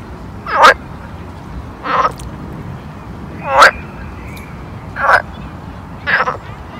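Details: Summer pond frog calls: five rasping croaks spaced roughly a second or more apart, each a brief buzzy burst with a slightly rising onset, against a soft continuous background murmur.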